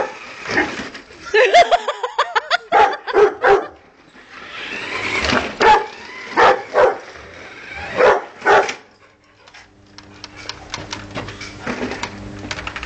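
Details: Pet Rottweiler playing with a car in the back, giving a run of harsh, loud barks in uneven bursts with short yips between, then a lower buzzing engine-like noise takes over near the end.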